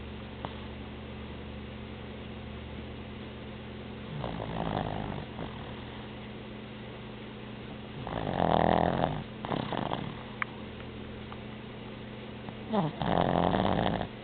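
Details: Boston Terrier kept as a pet, asleep and snoring. Three rough, rattling snores come roughly every four seconds, separated by quiet breathing, over a steady low electrical hum.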